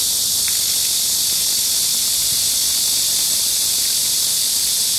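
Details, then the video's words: Intense sizzling wall of cicada song, high and continuous, recorded at Gayang-dong Culture Park in Seoul on a sweltering midsummer day in July 2022, with the fountain close by. "The sound of cicadas on a midsummer day and a cool fountain(한여름날의 매미소리와 시원한 분수)"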